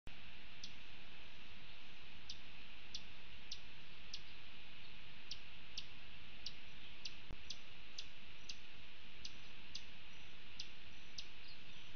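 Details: Only faint, irregular clicks and ticks over a low steady hum are heard, with no animal voice.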